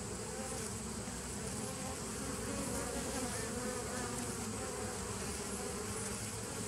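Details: Colony hum from a 2017 bee nuc on 27 September 2018, a thick, unbroken buzz of many wings holding an even loudness throughout, rich in low droning tones with a faint hiss above.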